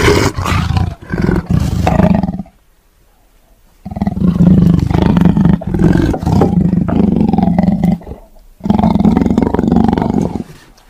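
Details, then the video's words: Tiger roaring: harsh deep roars in long sustained bursts, separated by two brief silent gaps, the sound rough and rumbling throughout. "Suara Harimau"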